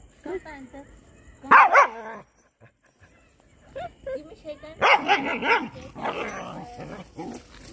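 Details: Puppies, part of a compilation of cute dog moments, give short sharp barks in two bursts separated by a quiet stretch, mixed with higher whining yelps and human voices.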